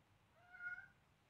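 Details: Siamese kitten Selena, seven weeks old, while playing with a duckling: a single drawn-out, fairly soft meow swelling and fading within about a second, steady low hum behind.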